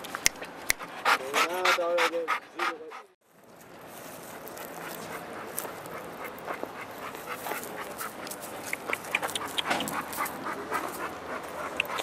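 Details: Schnauzer Margot gives a few brief wavering whines that bend up and down, then a short quiet gap. Fast breathy panting follows, with a human voice talking nearby.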